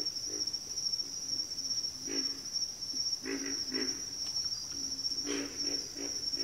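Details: Frogs chorusing in a backwater give short, deep grunting croaks, often doubled or tripled, spaced a second or so apart, beneath a constant high-pitched insect hum.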